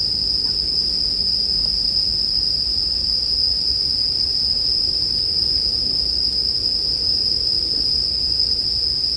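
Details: Steady high ringing of bell crickets, level and uninterrupted, layered over a quiet low rumble and faint crackle of burning firewood, intended to soothe toward sleep.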